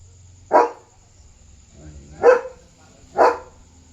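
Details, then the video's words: German Shepherd guarding its territory at night, barking to warn of a dog outside; three forceful barks about a second or more apart, over a low background hum. "Barking German Shepherd on Alert!"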